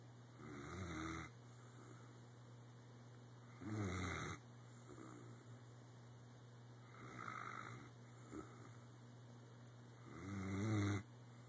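A sleeping Weimaraner snores in slow, rasping, low breaths repeated every three seconds or so.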